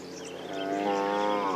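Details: In a huge herd of African buffalo with young calves at a dam on a morning safari drive in April, a buffalo gives a single drawn-out, cow-like low moo that swells and rises slightly over about 1.5 seconds.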